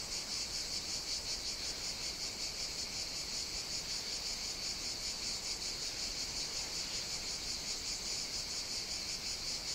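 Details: Summer chorus of cicadas on Evia, Greece, recorded outdoors in hot weather; a constant, intense high-pitched drone with rapid rhythmic pulsing, many insects blending into one wall of sound.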